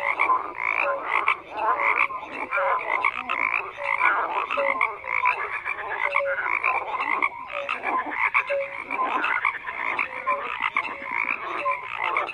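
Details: Many frogs croak together, rhythmic rasping pulses layered over short whistle-like notes, the chorus dense and unbroken across the whole stretch.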